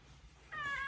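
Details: Domestic cat kept indoors, meowing and arguing to be let out into the yard for a walk; a single harmonic meow starts after a half-second pause, held and gently falling, in a quiet room.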